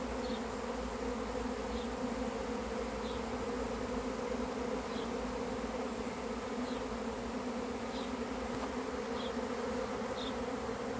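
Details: Honey bee swarm arriving: continuous thick buzzing drone, even in loudness throughout, with faint short high chirps repeating roughly every second and a half behind it.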